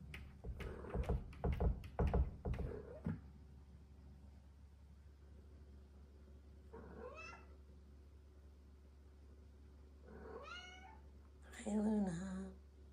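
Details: Two female Bengal cats wrestling on a cat wheel indoors at night: a burst of thumps and scuffling, then several short rising-falling yowls and meows spaced a few seconds apart, with a low steady hum underneath.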